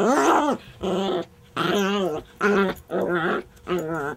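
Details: A female Chihuahua growls during a tug-of-war game: six wavering, grumbling growls, each about half a second, in a steady stop-start rhythm, in an otherwise quiet room.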